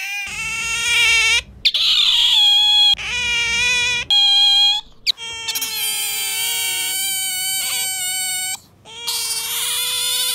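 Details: Indoor pet otter, one of a pair compared for the noisiest voice, giving loud, piercing, steady squeals lasting about one second, broken by brief silences, then longer drawn-out shrieks with slight pitch shifts.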